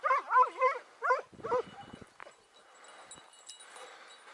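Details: Dogs in full cry after a hare on a morning hunt, first hare of 6 October 2018. A fast run of loud wavering yelps opens, then breaks into lower, rougher barks and quiet rustling background.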